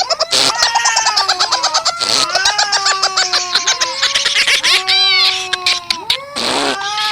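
Fighting cats trade long, wavering yowls broken by sudden harsh hisses and spits.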